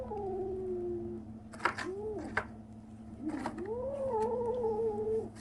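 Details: Kitten aged 37 days making strange noises: a sustained flat mew, two short arched squeaks, then a long wavering cry, with scattered clicks and rustling over a steady low hum.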